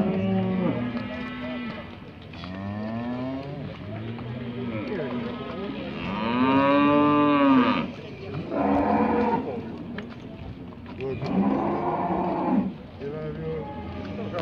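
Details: Cattle heifers of 18 months in a show-ring judging at Montluçon in 2020 call repeatedly: low moos at first, then a loud arching bellow around the middle and several strained, rougher calls after, amid hall background noise.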